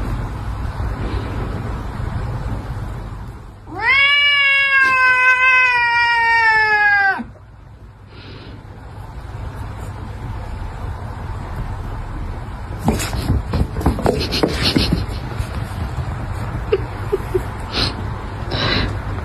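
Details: Cats fighting: a loud, drawn-out, wavering caterwaul lasting about three and a half seconds, followed by a quiet pause, then bursts of harsh scuffling and hissing noise over a low background rumble.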